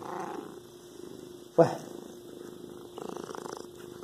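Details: Domestic cat purring in soft rhythmic pulsed bursts at the start and again near the end, separated by a single sharp click and a quieter stretch.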